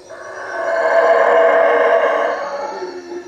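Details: Nighttime howler monkeys in the canopy over a hut at Lake Peten Itza, Guatemala, giving one swelling, raspy roar that rises to a loud middle and tails off, with a faint high whine of insects underneath.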